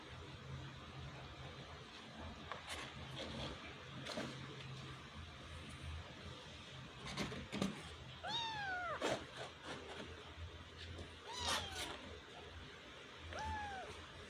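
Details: Kitten trying to climb out of a hole, giving high, arching meows with clear harmonics, about four calls spaced a second or two apart in the second half, over steady low hum and scattered rustling and scraping.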